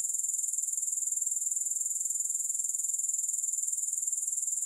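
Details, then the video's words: Steady chorus of grasshoppers: a high, hissing trill beating in quick, regular pulses at constant volume from start to finish, with no music. "Grass Hopper Sounds"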